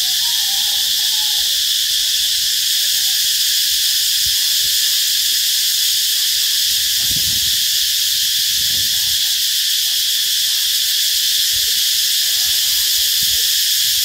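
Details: On 2 March 2023 at 11:44, on the road leading into B Binh Hoa school in Vietnam, a cicada gives a loud, steady, high-pitched buzzing drone that never pauses.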